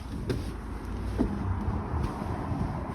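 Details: Steady low vehicle hum with a few faint knocks, and no animal calls.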